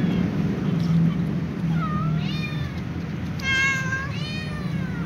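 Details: A little ginger cat meowing as it runs to scratch and eat beside a tom cat and other cats; several rising-then-falling harmonic meows, the clearest two near the end, over a steady low rumbling background.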